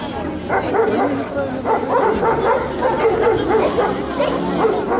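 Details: An 8-month-old American Staffordshire Terrier named Beregina Defens gives a rapid run of short, yelping barks, several per second through the whole stretch. A human voice talks over the barking.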